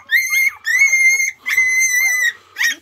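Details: Border Collie puppy Lemon, from Coco's litter of six, three days after birth, crying indoors after being stepped on: three long, loud, steady high-pitched squeals followed by a short final yelp, with brief silent gaps between them.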